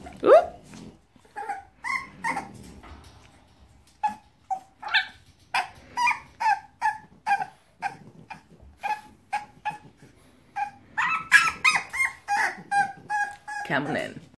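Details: English Bulldog; whines and barks; wanting to be let out of its crate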